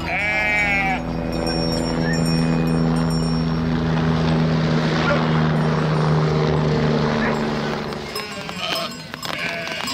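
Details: Sheep bleat: a quivering, wavering cry opens, then a long, steady, drawn-out low tone holds for several seconds before fading into scattered noises.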